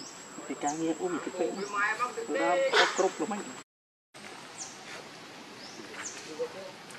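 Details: Baby monkey Rainbow, hungry and angry, cries to its mother for milk: a run of wavering, harmonic wails rising in strength over about three seconds, then fading to faint squeaks over a steady insect hum.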